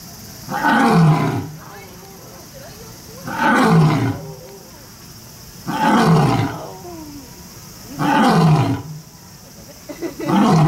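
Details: At Kyoto City Zoo, a lion or tiger gives deep, strained roars in a steady series, about five bursts roughly every two and a half seconds, each sliding downward in pitch, with quiet hiss in the gaps.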